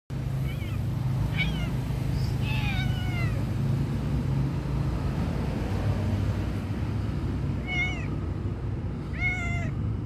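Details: A homeless stray tabby cat waiting for attention and food gives a series of short, rising-then-falling meows over a steady low traffic rumble.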